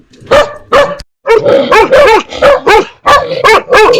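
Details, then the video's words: Dogs barking, from a recording of dogs barking fiercely at strangers and puppies barking at familiar people; a rapid string of about ten sharp, yelping barks with one brief pause. "Sounds of DOGS and PUPPIES barking"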